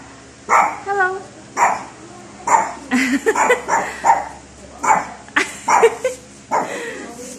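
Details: Kimay, a tiny Chihuahua, gives a run of short, high yapping yips, about a dozen sharp bursts spread unevenly over several seconds, with a person's voice nearby.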